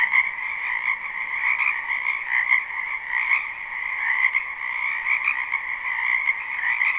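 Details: Croaking frogs in a spring wetland behind a house: a constant, dense trilling chorus on a high and a lower band, with occasional brief louder bursts over the steady hum.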